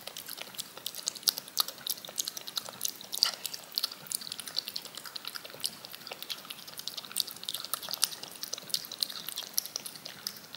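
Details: Cat licking yogurt off a spoon in a looped ASMR recording: a steady stream of quick, bright, wet clicks and smacks, several each second, with no vocal sounds.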